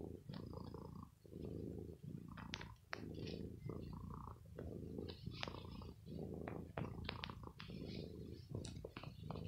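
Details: Indoor domestic cat purring after some pampering as it bites an owner's clothes, which it does every evening: deep throbbing purr broken by frequent sharp clicks, snaps and rustling from biting and handling cloth.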